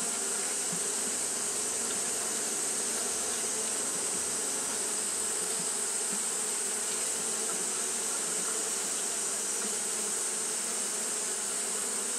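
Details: Continuous buzzing of Japanese honey bees fanning through a hot day, a smooth unbroken hum layered under a bright, steady high-pitched hiss.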